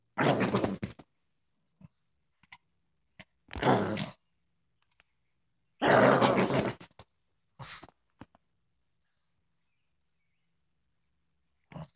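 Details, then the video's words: Female Boston Terrier putting on a tough act indoors, giving three rough, breathy, grunting growls of about a second each, separated by gaps with small clicks and snuffles in a quiet room. "Boston terrier thinks she's tough"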